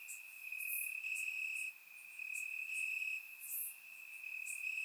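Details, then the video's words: Bulgarian summer night with crickets calling from the grass: one continuous high-pitched trill, loudness rising and dipping over a few seconds, plus scattered brief sharper chirps from other insects higher up. "Cricket Sounds - Crickets Chirping at Night"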